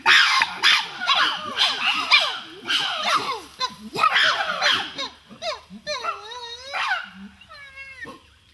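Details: Chimpanzee; pant-hoot; welcoming others and drawing subgroups to a favourite food tree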